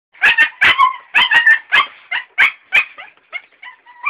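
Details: Eight-week-old female Belgian Malinois puppies giving a rapid series of high, squealing yelps and whimpers, about one per second, loud at first and fading into thinner whines toward the end.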